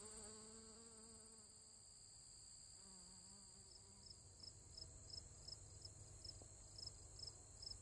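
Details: Honey bees foraging on goldenrod on September 11, 2022: a low droning wing buzz with stacked overtones sweeps past twice in the first four seconds, over a steady shrill insect chorus and rapid pulsed chirping.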